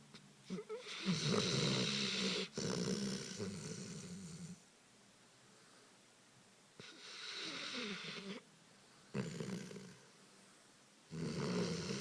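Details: Sleeping Dogo Canario snoring steadily, loud rough rattling snores lasting about two seconds each, separated by quieter breathing pauses, three main snores across the stretch.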